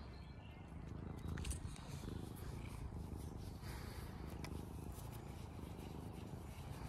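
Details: Tamed former wild cat on an Irish farm in County Kilkenny, demanding attention from a person: close, steady, deep purring throughout, rough and evenly pulsed, with light rustling above it.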